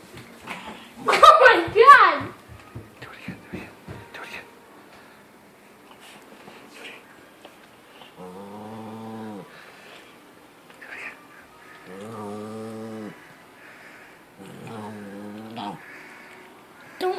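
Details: Rat Terrier, a pet dog indoors, giving three drawn-out rumbling growls of about a second each, spaced a few seconds apart, after a person's excited exclamations and laughter at the start.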